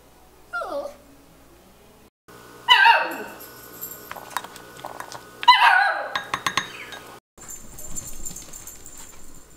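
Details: Miniature Schnauzer puppy, between six weeks and six months old, complaining indoors: three separate bursts of high, whiny yelps that slide downward in pitch, with brief pauses, sharp clicks and taps between them.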